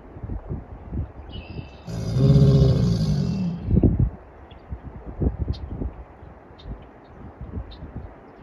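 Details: Two American alligators calling to mate at Huntington Beach State Park in Murrells Inlet, South Carolina, March 22, 2024. A single gravelly, resonant bellow of about one and a half seconds stands out early, followed by low thumps and outdoor rumble.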